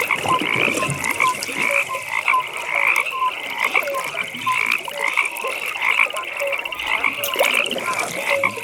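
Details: Frog chorus at a pond in the evening: a continuous band of fast, rattling pulsed trills layered with short, clear piping notes repeating every half second or so, plus soft lower croaks from many callers at once.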